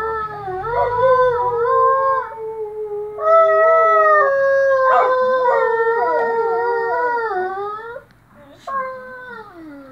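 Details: A Great Dane, with a cocker spaniel companion nearby, howls in long, wavering, mid-pitched notes sliding up and down with brief breaks, answering an approaching ice cream truck; the howling fades near the end.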